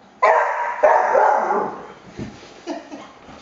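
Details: Cocker spaniel upset by moving blinds: two loud, rough, drawn-out barks about half a second apart, fading into softer huffs and a brief final yip.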